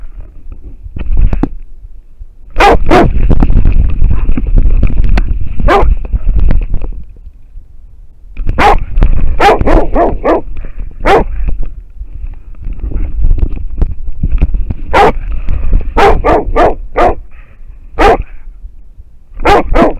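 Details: An American Foxhound bays at a wild boar, caught on a dog-mounted camera; irregular clusters of short, hoarse barks, some doubled, separated by stretches of heavy low rumbling and movement noise.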